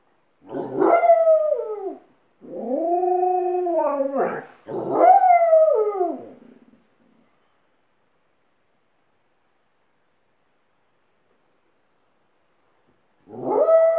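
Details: Alaskan Malamute howling as it teaches a second dog to howl: three long wavering howls, each rising then sliding down, with short gaps, then silence and a final howl starting near the end.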